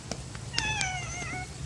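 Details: Stray library cat that comes when called, likely Aeong, answering a person calling its name: one clear, slightly falling meow lasting under a second, rich in overtones, with a person's calls just before and soft room noise.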